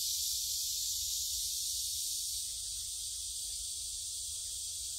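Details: Cicadas singing in the Gyerim forest, Gyeongju, South Korea, on 16 July 2022, phone-recorded on a forest walk: a dense, unbroken high hiss-like drone with a faint low rumble beneath.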